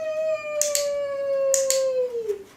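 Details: Eight-week-old male puppy during clicker training, on his third day with the clicker, learning the frog stretch: a long steady tonal howl holding one pitch, falling slightly at the end, with two pairs of sharp clicks.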